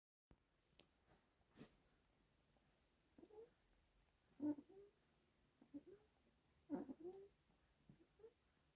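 A sleeping cocker spaniel puppy snores softly, with faint, slightly squeaky breaths every two to three seconds.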